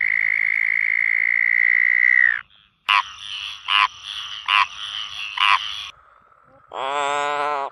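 Frogs calling: a long, steady high trill, then harsh rasping croaks and a final nasal buzz.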